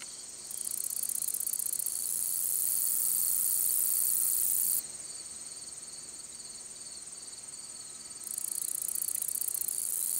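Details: Long-spurred meadow katydid song, soft buzzing and ticking: a sustained high hissing buzz lasting a few seconds, then a softer passage of rapid ticks, before the buzz returns.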